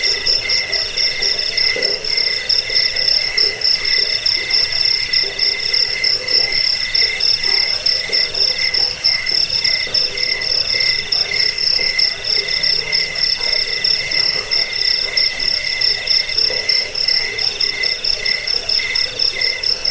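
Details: Cricket chirping offered to drive off rats, aid sleep and train cage birds: continuous high-pitched pulsed trill, evenly sustained with slight rhythmic swells, and no other clear sounds.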